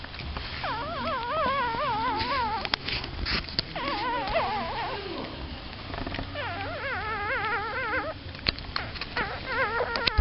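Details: Newborn puppies beside their mother dog, eyes still closed, giving repeated wavering, quavering whines in several bursts of overlapping cries, interrupted by handling noises and clicks, with quiet background murmur.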